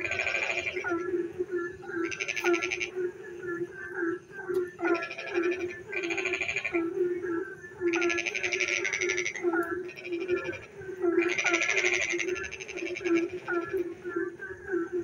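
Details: Frog chorus at night in the rain, with a run of loud, rattling pulsed croaks, each burst about one second long and coming every second or two. Softer tonal calls and a continuous low drone sit beneath them.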